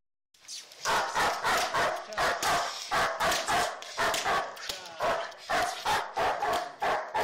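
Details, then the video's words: Tayson, the black German Shepherd, barks furiously in protection training, a fast relentless volley of rough barks, several each second, after a brief quiet start. "Black german shepherd Tayson protection"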